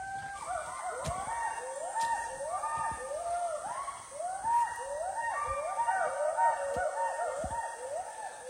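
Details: Wild western hoolock gibbons calling in dense Assam rainforest, one group answered in turn by others: repeated rising-then-falling whooping hoots, overlapping in a steady back-and-forth chorus, with faint rustles and clicks nearby.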